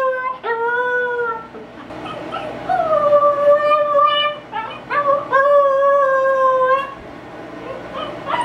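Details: A female Siberian Husky puppy, left alone inside and upset at being kept from joining people outdoors, howls for the first time in sustained, wavering howls broken by brief yips and whimpers.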